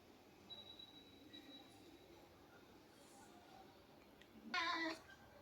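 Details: Domestic cat giving one short, harmonic meow near the end, after a stretch of quiet room hum with a faint steady high whine in the background.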